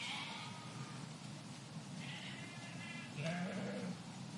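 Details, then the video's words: Sheep of a park flock bleating faintly, a few thin quavering cries at a distance against a noisy background, with a louder low bleat toward the end. "Flock of Sheep in Park Sound Effect"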